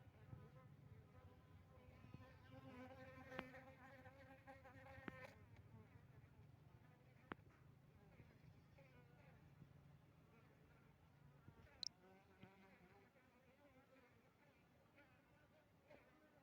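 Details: Asian honey bee colony tested with Apis mellifera drones, Tingkem Bersatu village, Bener Meriah, Aceh, on 6 November 2021; a steady low drone of many wings with rising and falling overtones, punctuated by occasional taps and one sharp click.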